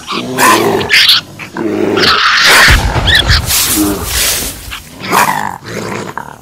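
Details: Male raccoon growling, played loudly to scare female raccoons out of an attic: harsh, harmonic-rich growls and snarls in short bursts about twice a second, with rasping noisy stretches between the voiced phrases.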